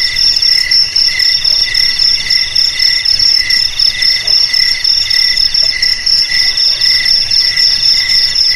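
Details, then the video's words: Rapid cricket chirps in a recording meant to frighten off rats: high, bright pulsed trills in short bursts repeating several times a second, steady and uninterrupted, no other animals. "Suara JANGKRIK Pengusir TIKUS"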